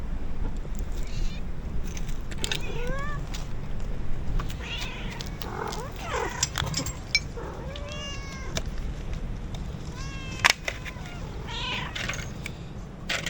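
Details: Feeding time at a stray cat colony beside an old ruined house, with an intruder cat met by the colony's biggest cat: a run of loud, rising and falling yowling meows, some overlapping, above constant low background noise and scattered clicks.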